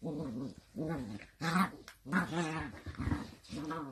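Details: Playing miniature dachshund gives a series of harmonic, wavering growl-whines, each lasting about half a second and rising then falling, repeated in quick succession in what sounds like a small indoor room.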